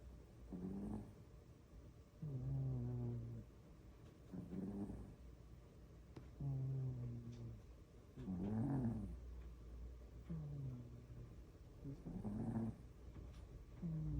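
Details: Loud snoring from a sleeping pet cat: a steady run of about six low, buzzy, harmonic breaths, each near a second long, coming every two seconds or so, with faint room hiss between them.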